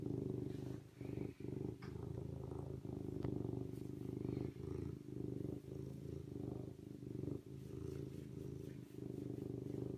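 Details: Continuous deep purring from a serval, an even low throbbing rumble running nearly unbroken for ten seconds, with short dips and a few faint clicks and rustles overhead.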